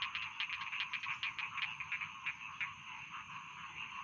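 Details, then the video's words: Rice field frogs croaking together, rhythmic pulsed croaks repeating about three times a second over a constant buzzing chorus, louder in the first half. "Bedtime Frog Sound || Suara Katak Sawah Pengantar Tidur"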